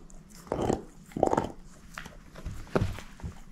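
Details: Eating a bone indoors, the female shepherd mix Moose produces thick, muffled chomps: two heavy bursts early on, then lighter crunches and a final sharp bite, all in a quiet room.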